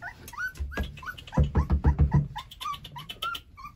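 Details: Hungry Rottweiler puppies from a litter of eleven beg for food while being dewormed, giving high arched whines mixed with a burst of rapid low thumping sounds midway, a woman calling softly nearby.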